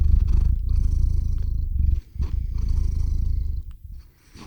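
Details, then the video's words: Theo the cat purring close to a RODE NTG-3 microphone and ZOOM H6 recorder while drifting off to sleep; a deep, rapid, rhythmic rumble with a brief break near two seconds before it resumes and fades. "Кот мурлычет на микрофон и засыпает/The cat purrs on the microphone and falls asleep"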